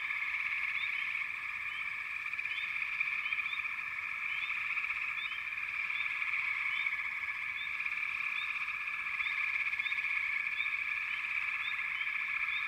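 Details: Frog chorus from backwater: dense, continuous high trilling wall of many callers, with short rising chirps repeating over the top every half second or so, steady throughout.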